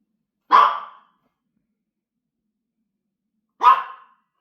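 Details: Puppy named James, too frightened of a massager to eat his treats, gives two short, sharp, mid-pitched barks about three seconds apart, with silence in between and no other sounds.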